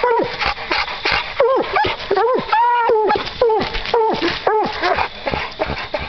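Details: Hunting dogs baying at a raccoon they have treed during a coon hunt; loud, rising-and-falling howled bawls repeated in quick irregular succession, with men talking and laughing nearby.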